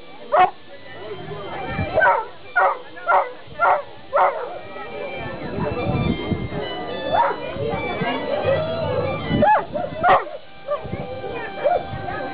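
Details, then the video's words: Newfoundland dog barking: a quick volley of five or six deep woofs opens, then a few scattered barks under overlapping speech and background music. "Newfoundland barking"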